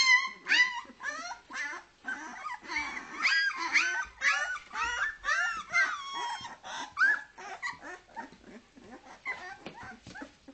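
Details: Leonberger puppies two weeks old, from a 2010 kennel litter in Norway, whining together: a dense chorus of thin, quavering squeals and yelps, roughly two cries per second, some drawn out and bending in pitch.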